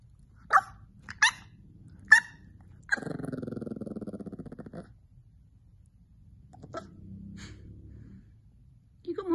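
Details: Squeaky puppy indoors: three quick high yips, then a long rasping growl lasting about two seconds, a softer low grumble, and a final squeak.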